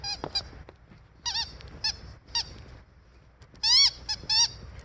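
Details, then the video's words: Siberian Husky Aurora outdoors in falling snow during a blizzard, wanting someone to come out and play; short, sharp harmonic yelps in scattered bursts, a louder cluster of rising-falling barks near the end, over soft wind-like hiss. "Husky Out In Blizzard"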